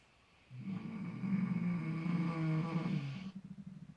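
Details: Sleeping miniature potbellied pig in fresh straw, relaxed and seemingly dreaming, gives a single drawn-out low snore of nearly three seconds, followed by a softer fluttering breath.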